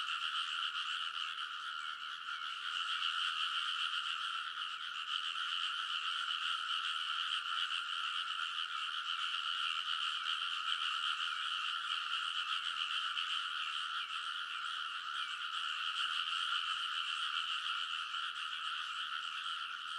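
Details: Midnight rice-paddy frog chorus in early summer at Kōnosu, Saitama Prefecture, Japan, TASCAM Portacapture X8 recording: many frogs croaking together along the paddy levee, a thick, even, rattling drone of overlapping calls with no pauses.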